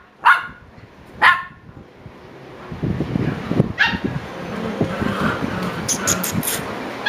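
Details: Seven-week-old Shiba Inu puppies: two short, high yelps about a second apart open the recording, then a third. Later comes low rumbling and shuffling noise with faint high squeaks.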